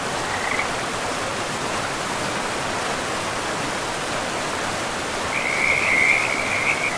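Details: Frogs by a river in a pristine forest: a short pulsed high trill near the start, then a longer rapid pulsing trill rising over the last two seconds, all above a steady rushing river.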